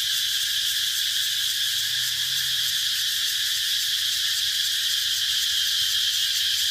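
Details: A continuous high, hissing drone from cicadas, dense and even, with a sharp tonal band running through it and no pauses across nearly seven seconds.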